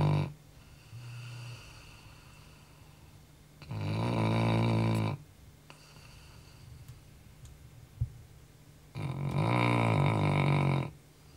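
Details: Labrador Retriever snoring heavily at night after a day of much running; two long, loud, rasping snores about five seconds apart, with soft breathing and a brief click between them, indoors.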